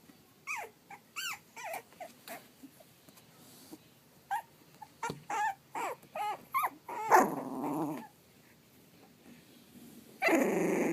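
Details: Pug/Dachshund mix puppies, three and a half weeks old, give a series of short, high whining whimpers with wavering pitch, in bursts about every half second, then a broad rustling noise and a louder scuffling burst at the end.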